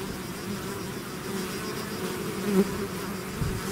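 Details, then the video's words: Bees in a swarm out of the hive make a continuous humming drone; one bee flies close past about two and a half seconds in, a short louder rising buzz over the crowd. "bees therapy swarm natural buzzing sound"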